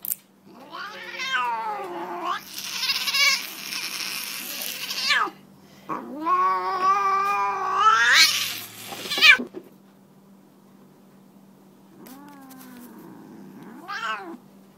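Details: Siamese tabby cat protesting while getting her nails clipped indoors: long, loud, harmonic yowls rising and falling, several drawn-out wails with brief gaps, ending in shorter moans.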